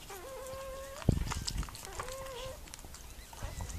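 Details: During the birth of her puppies, Mirella the Miniature Pinscher lets out two long, level whines with a small upward kink, separated by a sharp knock and rustling.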